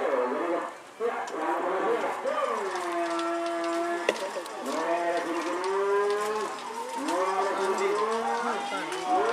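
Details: Cattle at a Kerapan Sapi bull race, third round, at Lap Rosong on Sapudi Island, Madura, East Java, Indonesia: long drawn, steady lowing tones, some bending downward, repeated over several seconds amid nearby human voices.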